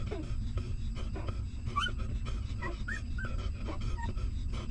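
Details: Hungry newborn puppy of a stray mother dog, suckling milk: short, high, squeaky whimpers that rise and fall, scattered every second or so over a constant low rumbling background.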